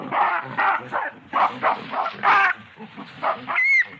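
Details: Loud, rhythmic barking grunts from a baboon, about three per second, harsh and broadband. A brief thin whistled note comes at the very end.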